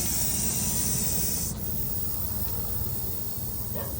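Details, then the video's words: Venomous viper held trapped under a bucket in Maharashtra, coiled tight in anger and fear, warning intruders to keep away; a loud breathy hiss fills the upper range for about a second and a half, then fades into steady background noise. "या सापाचा आवाज"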